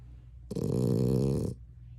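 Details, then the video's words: French Bulldog snoring while asleep indoors, a loud rough one-second snore with a deep rattling buzz, beginning and ending abruptly against quiet room hum. "Grizzly bear or Snoring Frenchie?"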